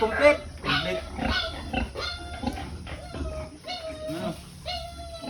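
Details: Pietrain-Duroc sow on a farm during artificial insemination, giving short harmonic grunts and squeals about twice a second, some rising then falling in pitch, over people talking and background music.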